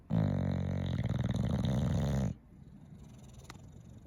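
An English bulldog snores with a deep, rough, rattling rumble, then falls quiet.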